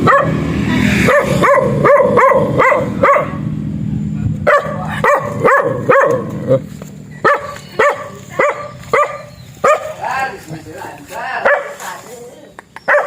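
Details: Black dog barking in a series of sharp, harmonic-rich barks, fast and closely spaced in the first three seconds, then more scattered single barks with some rougher, noisier yelps toward the end.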